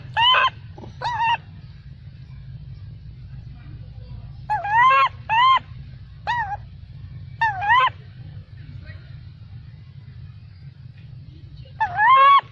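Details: Macaque baby angrily shouting after its mother would not let it nurse: loud harmonic squalls in clusters of two or three, separated by quiet spells of a second or more, with a steady low rumble throughout.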